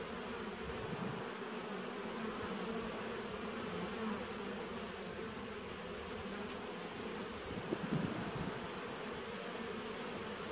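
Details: A 2017 honey bee nuc recorded on 19 September 2018. The colony gives a continuous low buzzing drone, even and unbroken, with a thin steady high tone in the background and one brief tap near the end.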